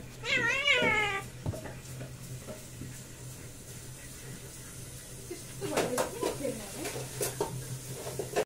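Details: Mother cat and kitten play fighting; a drawn-out wavering meow with strong harmonics opens, then scuffling and soft bumps from the tussle over a constant low hum.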